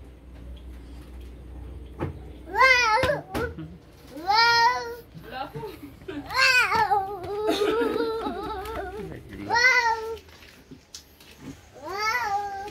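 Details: Cat meowing indoors, several drawn-out, rising-then-falling meows spaced a couple of seconds apart, with children's voices and babbling heard between and beneath the calls.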